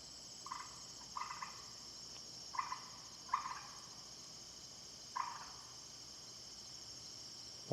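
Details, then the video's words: A big frog calling outdoors gives five short, raspy croaks spread unevenly over about eight seconds, each a brief mid-pitched burst, over a steady high hiss of insects. "well that's a big frog there did you hear that"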